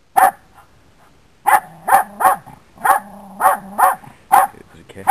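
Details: Dog barking repeatedly, one bark then a rapid series of sharp woofs, often in pairs, with faint low rumbling between them.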